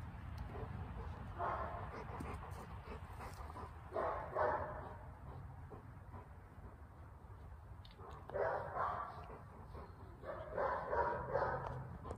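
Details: Boxer/Mastiff mix dog recorded on 1 January 2023, giving several short rough barks and vocal bursts in bunches around four, eight and eleven seconds, with steady low background rumble between them.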